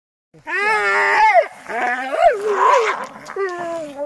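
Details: A Staffordshire Bull Terrier playing on a spring pole gives a run of wavering, whiny, groan-like vocalizations, rising and falling in pitch in several bursts over about four seconds.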